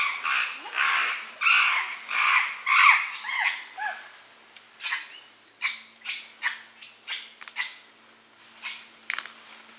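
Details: A chimpanzee (Pan troglodytes) eating a colobus monkey and leaves at Gombe, Tanzania, gives a run of shrill, harmonic cries that shorten into clipped, breathy bursts.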